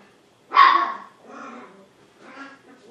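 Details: Seven-week-old Poodle puppies, healthy and energetic. One sharp, bright bark, followed by two fainter, softer yaps about a second apart.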